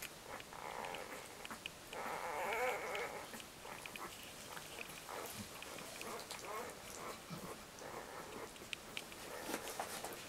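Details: Newborn Labrador Retriever litter, four to five days old and asleep, with a wavering whine near the start and many small squeaks, snuffles and rustles continuing throughout amid soft background noise.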